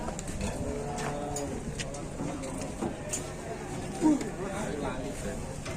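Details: A fat cow gives a low, drawn-out, steady moo lasting about a second and a half near the start, partly overlapped by a man talking in Indonesian, with a constant background hum and scattered knocks.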